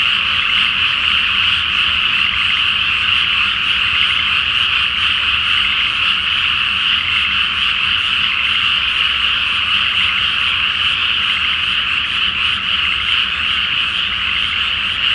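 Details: Frogs in a great chorus fill a flooded paddy at night before rice planting under the full moon; relentless high-pitched overlapping croaks form a steady buzzing roar, with a faint low hum in the background.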